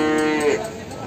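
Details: Limousin calf filmed in the morning at Ambarketawang, Sleman; a brief, steady, tonal moo lasting about half a second, then fading, with faint background music.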